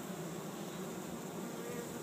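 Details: Honey bee swarm of 6000-8000 bees settled on the ground in a yard in Chico, California, 2013, being captured beside an empty hive. A steady, dense low hum with layered droning bands throughout, evenly loud.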